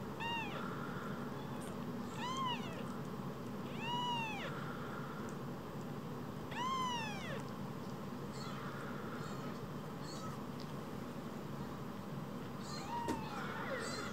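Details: Pair of rescued newborn-sized kittens, small as a phone, giving about five thin, arching mews spaced a couple of seconds apart, softer toward the end, with a constant low background hum.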